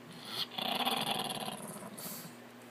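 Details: Angry Chihuahua sitting in a laundry basket, growling: a sustained raspy, buzzy rumble of about a second and a half with a short harsher burst near the end, in a small indoor room.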